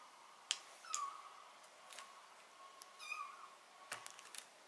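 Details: Domestic cat meowing during removal of botfly larva from its skin: two short, tonal meows near the first and third seconds, with sharp clicks and handling noises between them.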